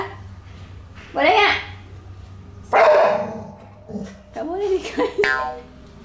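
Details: Pit Bull named Hewie throwing a tantrum during nail clipping: two loud, rough, broadband bursts about a second and a half apart, then shorter strained cries mixed with a woman speaking gently indoors.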